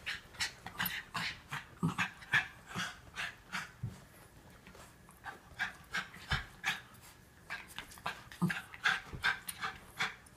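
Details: Norfolk Terriers Otto and Ernie, wrestling as Ernie is kept under control, give a long run of steady, rhythmic panting, close to three breathy puffs per second, with occasional louder huffs.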